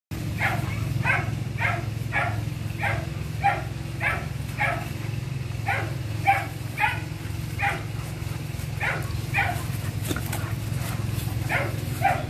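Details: A pair of German Shepherd dogs, one male and one female, with steady repeated barking, roughly two barks a second in short runs with brief pauses, over a constant low engine-like hum.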